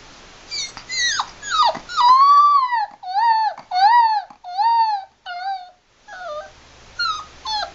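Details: A 7-week-old Labrador Retriever puppy, playing, gives a string of thin, high, wavering howls, each rising and then sagging.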